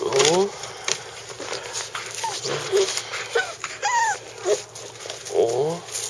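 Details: Chako, a Shiba Inu newly joined to a family, gives several short, high, rising-then-falling whimpers spaced a few seconds apart against a steady indoor hum, with faint squeaky tones between.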